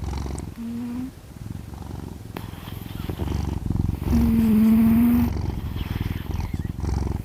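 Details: A sleeping domestic cat snoring: a steady, low, rapidly pulsing rumble that runs throughout, swelling louder for about a second midway, with a faint tonal hum at times.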